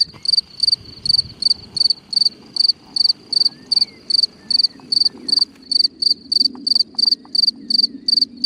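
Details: Cricket at night singing from a hole in the ground: sharp high chirps repeated roughly three times a second over a soft low rustling background with faint clicks.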